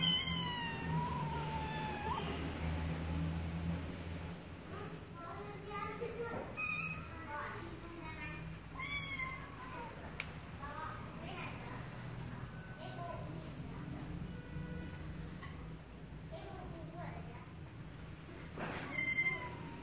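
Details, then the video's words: Cats meowing, several harmonic mewing calls, some rising then falling, scattered through the clip over a steady low hum and background clatter. "Cats meowing"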